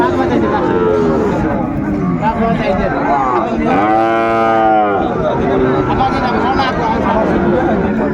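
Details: Sahiwal bull calves at the Ambari cattle market on 17 January 2025: one deep, drawn-out moo of about a second and a half rises mid-clip above steady crowd chatter and a man's voice calling out prices.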